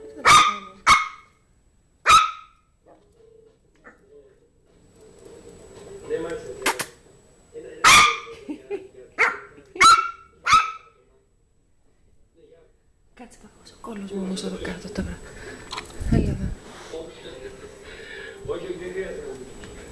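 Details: A Yorkshire terrier playing with a new mouse toy gives sharp, short barks: three quick ones, then single barks at irregular gaps, falling quiet after about eleven seconds while rustling and low voices follow.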